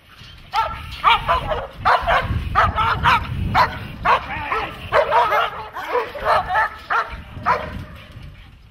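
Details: Dog barking during protection training, a burst of about thirteen sharp, loud barks in quick succession, some doubled, with brief gaps between them and faint background voices.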